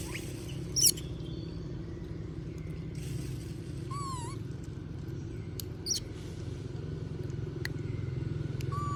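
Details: Monkey Moby asking for food as other monkeys eat peanuts: a brief high squeal opens, then a short rising-falling coo and another squeak, against constant low droning noise.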